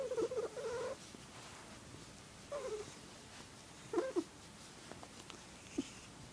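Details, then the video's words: A male pet cat called Squirrel makes his weird girly warbling purr indoors. A sustained quavering trill opens the clip, followed by shorter wobbling chirps at roughly one-and-a-half-second gaps, then a faint final blip. "Weirdest cat purr ever"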